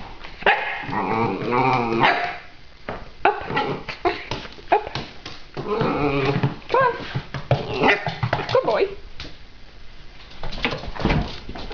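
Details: About three-year-old male Italian Greyhound performing tricks at home, barking when told to speak; a couple of drawn-out, tonal, whiny barks near the start, then shorter barks mixed with a person's commands and talking.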